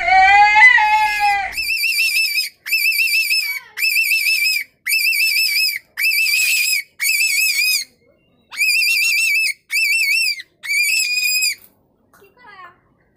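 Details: Rabbit screaming: a shrill, wavering, strongly harmonic cry repeated in about eight separate bursts of under a second each, split by short silences, after an opening lower cry that rises and falls. No other sounds are clear.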